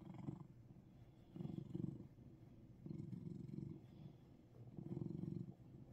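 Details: Russian Blue cat in Seoul, Korea, purring: low, rumbling pulsed bursts lasting about a second each, alternating with quiet breaths, four bursts in a steady in-and-out rhythm.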